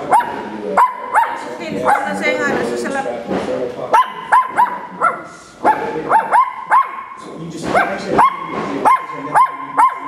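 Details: Two-month-old puppy appearing to complain that her playmate got more attention, giving repeated whiny, yodelling yips and howl-like barks with rising and falling pitch, while a woman talks over her about the other dog.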